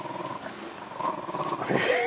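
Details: Jack Russell terrier growling while pulling a rope during tug play indoors; a rough, noisy, continuous growl that swells louder toward the end.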